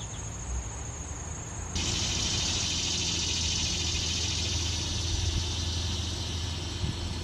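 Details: Male annual cicadas calling in a yard during summer to attract females: a loud, rasping buzz switches on abruptly after a thin high whine and holds steady, dense and unbroken, over low background rumble.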